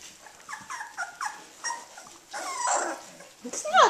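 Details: Eighteen-day-old Australian Shepherd puppies, beginning to play, make a run of short, falling whistled whimpers about twice a second, ending in louder squeaky yelps.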